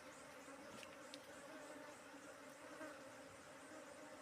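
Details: Honey bees being kept inside a box: a dense, continuous droning buzz with a steady low hum throughout, even in loudness, with no other clear sounds.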